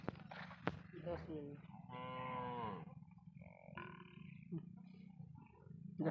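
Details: Cattle on a char of the Padma, said to have crossed the Indian border as contraband; a single quieter drawn-out moo mid-clip over a steady low hum, with faint voices and knocks.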